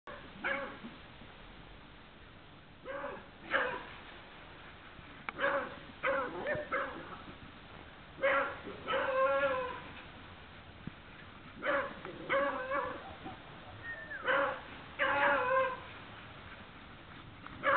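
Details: Beagle barking in short clustered bursts, two or three sharp harmonic barks per group, groups spaced a few seconds apart over a quiet background.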